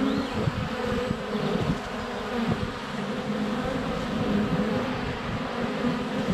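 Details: Honey bees in flight at a hive entrance on a sunny February day, filmed up close with a GoPro Hero 7 Black: a dense, steady droning hum with shifting wingbeat tones and occasional clicks of bees landing on the camera.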